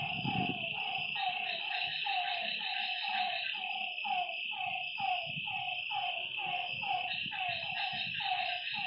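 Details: Chorus of frogs by a lake after dark: steady series of short sloping croaks about once per second, layered over an unbroken high-pitched insect drone, with a low rumble at the start.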